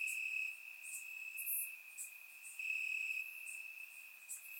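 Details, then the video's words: Night-time crickets in grass, Bulgaria, warm summer evening, recorded with a surround microphone: a thin steady shrill note, quieter here, swelling twice in loudness, with faint higher ticking chirps from other insects of the chorus. "Cricket Sounds - Crickets Chirping at Night"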